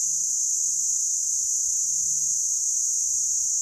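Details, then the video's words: Cicada drinking sap from sweet thorn acacia in the Meerkat Magic Valley Reserve on a scorching December day above 43 °C. A constant shrill, hissing drone fills the whole stretch without pause. "SCREAMING BUGS - Cicada THE BUSH THERMOMETER"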